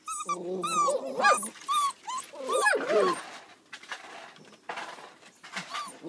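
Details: Young Border Collie pups from west Ireland whining and yelping in rising-and-falling squeals for about three seconds, then quieter scattered yips with faint human voices in a small room.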